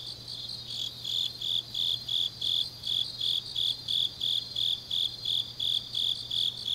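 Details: Grass insects singing late on an autumn night in Changnyeong, Korea; one loud, high chirp repeats steadily about three times a second over a fainter background of continuous trilling and a low hum.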